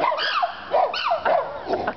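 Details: Captive siamangs at the Israeli Safari, recorded 13-11-09, calling loudly: a rapid series of harmonic hoots, each swooping up then down in pitch, repeated roughly every half second in a close, excited burst.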